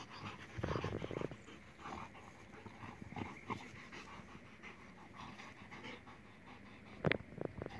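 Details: A German Shepherd and a pitbull playing together, giving breathy, noisy panting bursts with low thuds and rustling of movement, then a few sharp clicks and knocks near the end.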